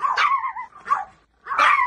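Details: Small pet dog, from a household with Pomeranians and a Bichon, gives two drawn-out whining barks with wavering pitch, separated by a brief pause, close and loud.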